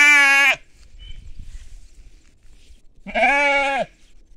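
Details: Sheep and lambs in farmland give two harsh, buzzy bleats, each just under a second long, with a quiet pause of a few seconds between them and faint low rumbling in the background.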